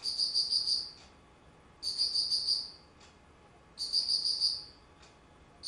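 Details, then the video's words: Autumn insect song recorded on 19 September 2009, made of high, shrill pulsed trills about a second long that repeat roughly every two seconds, with soft background noise between bursts. "秋 虫の鳴き声"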